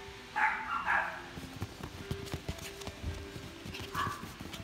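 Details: A Maltese puppy in a pet shop in Japan gives a couple of high, thin, whining yips, with a pause and tapping noises between.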